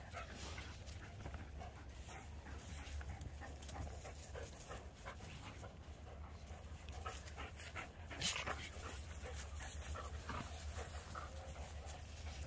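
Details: Two dogs, Voodoo the Keeshond and Tasha the Greyhound, playing a game of tug with a tug ball on 3/21/2021; soft rapid breathy panting and scuffling, low steady hum underneath, occasional sharper knock near the middle.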